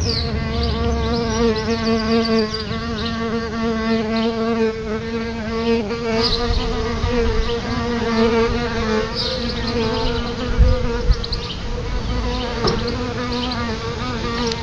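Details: Buzzing of solitary bees flying around their nest beside a house entrance: a continuous low, rich hum with many overtones, rising and falling a little in pitch as the insects move, with some background rumble.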